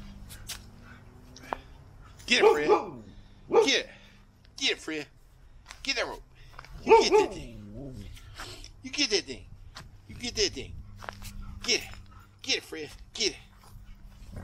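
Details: Siberian Huskies tussling over a knot rope let out a run of rising-and-falling yowls and yips, roughly one burst every second or two, mixed with a person's excited talk urging them to get the rope.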